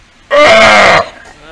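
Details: Captive Steller sea lion pup, roughly three months old, at Ise Sea Paradise aquarium, Japan, cared for by its mother Hina; a single loud, steady, harmonic bleat lasting under a second, followed by low background murmur.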